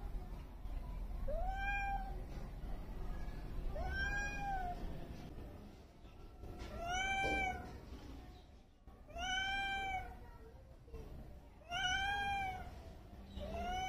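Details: Snowwhite, a female street cat just adopted, on her first day in her new home, exploring and settling in: five soft, drawn-out meows, each rising then falling, spaced about two to three seconds apart over a low background hum.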